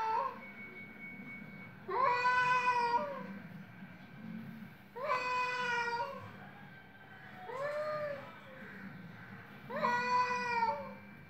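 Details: Cats fighting vocally: four long nasal yowls spaced two to three seconds apart, each wavering and rich in overtones, one softer and lower than the rest, over a steady low hum.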